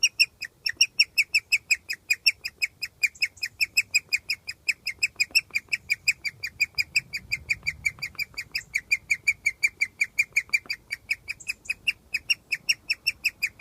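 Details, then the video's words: A guinea pig gives a rare happy chirp outdoors under its cage in summer, a bright bird-like note repeated several times each second; this chirping signals that it is very happy. "Guinea Pig Very Rare Happy Chirp Noise - Cuthbert."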